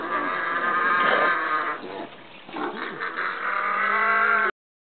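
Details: Singing pot-bellied pig with a young child close by, giving a continuous droning, harmonic moan of about four and a half seconds that dips briefly midway before swelling again and stopping abruptly.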